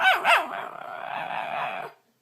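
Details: Dog producing odd noises: two quick, high, wavering yelps at the start, then a rough, sustained growling rumble lasting over a second before it stops.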